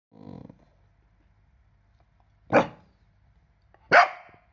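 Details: A 4-month-old Cardigan Welsh Corgi puppy gives two sharp, high barks after a soft low grumble.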